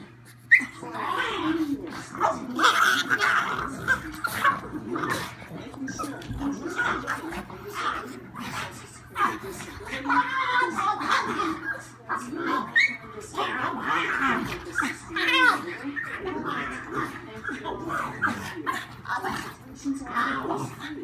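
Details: Two old pugs and a very young visiting pug play together, grumbling, snorting and letting out short yips and whimpers in a busy, continuous stream.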